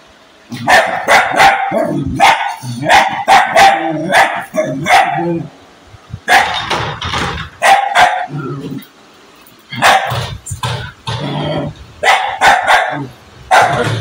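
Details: An angry dog gives long runs of rapid, harsh barks broken by brief growly pauses, with noticeably longer quiet breaks around the middle of the recording.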